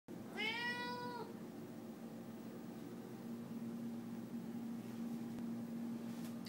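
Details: Pet cat named Leah meowing in a kitchen, wanting chicken being cooked: one drawn-out, harmonic-rich meow near the start, then a steady low hum with no further calls.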